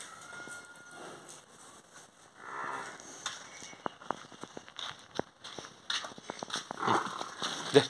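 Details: Water buffalo offered for sale in Khammam district, Telangana, giving one short, low moo near mid-clip, surrounded by sharp clicks, knocks and general farmyard noise.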